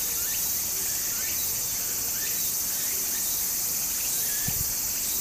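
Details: Cicadas singing in summer beside a stream in Japan: a steady, shrill, high-pitched drone fills the whole stretch, with faint scattered chirps and the soft rush of flowing water underneath.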